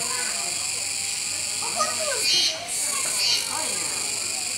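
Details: Kuroiwa cicadas sound at Neo Park Okinawa, 16 October 2021, beside a feeding capybara. A continuous shrill buzz swells twice, roughly a second apart, with a short break. Soft human chatter runs beneath.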